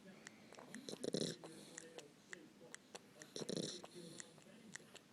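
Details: Hazel, a female dog, snores with her tongue poking out; two rough, rasping breaths roll in about two and a half seconds apart, with small clicking and ticking noises between them.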